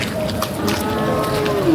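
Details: Cattle at the Sangola bull market on 12 October: a sustained, steady, tonal lowing runs through the clip over a busy outdoor background.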